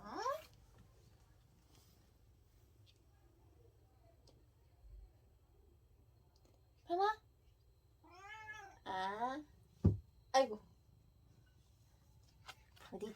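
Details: Pet cat indoors giving short, wavering meows that sound like saying "no", several bursts close together with rising and falling pitch, separated by quiet stretches and a low hum.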